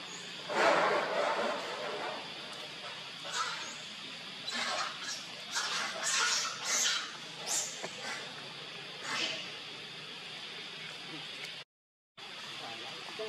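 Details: Baby monkey Leo, hungry and crying to beg its mother for milk: loud, harsh, high cries in repeated bursts, some long and wailing, others short, with steady hiss behind and a brief dropout near the end.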